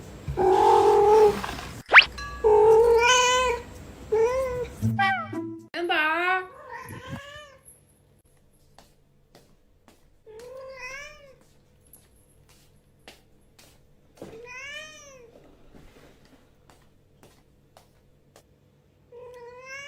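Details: Yuanbao, a house cat, demanding more food early in the morning after eating and answering back when scolded; a person talking at first over background music, then a string of short rising-falling meows with quiet gaps.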